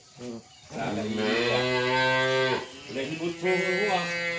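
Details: Dwarf calf lowing in a loud, drawn-out moo with strong stacked harmonics lasting about two seconds, then a second shorter moo rising again near the end, with faint voices in the background.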